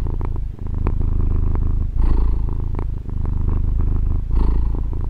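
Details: Deep, continuous purring of a female pet cat, recorded using a Tascam DR-40, with short pauses between breaths and two brighter, hissy swells as the rumble continues.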